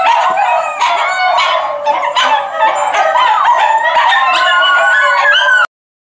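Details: Group of Miniature Schnauzers singing in a dense, loud howling chorus, wobbling yodel-like wails layered with short yips, then cutting off abruptly into silence near the end.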